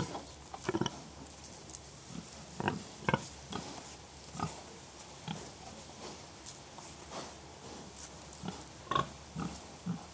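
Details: Contented pigs giving gentle grunts that express contentment: scattered, short, low, husky grunts spaced unevenly across the stretch over a steady background hiss, some louder and closer, others faint.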